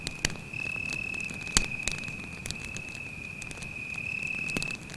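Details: Cricket at night beside a campfire in a forest, giving a steady, high, unbroken trill that carries through the whole stretch while the fire snaps and pops with sharp crackles.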